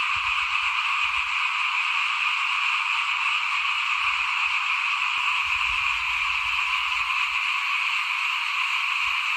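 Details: Near a house in 2021, at the season of sowing rice, a thick frog chorus drones on steadily, countless overlapping trills blending into one high buzzing wall of sound over occasional faint low knocks.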